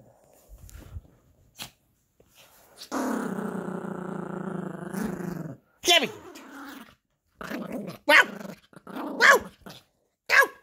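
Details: Yorkshire Terrier puppy growling while playing with a monkey dog toy indoors: a long steady rumbling growl lasting several seconds, then short yelping bark-like bursts and squeaks, with a man speaking between them.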